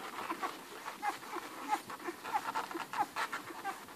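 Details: Hungry Irish Red and White Setter puppies, eleven in the litter, nurse from Ruby. Rhythmic suckling pulses about every half second carry short tonal squeaks and soft grunts.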